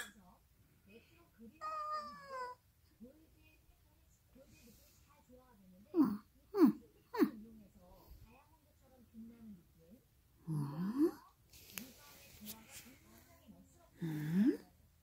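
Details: Indoor cat reacting with curiosity to strange noises its owner makes; one descending, harmonic-rich meow near two seconds, set among the person's odd squeaks, babbling and swooping vocal sounds that dominate the rest of the room recording.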